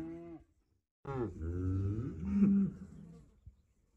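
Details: Cow giving a single long, low moo lasting about two and a half seconds, steady at first and then rising slightly in strength before fading, after a short lower call at the start.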